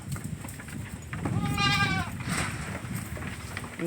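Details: A young, newly born domestic goat kid gives a single quavering, tremulous bleat lasting under a second over steady low background rumble and faint household noise.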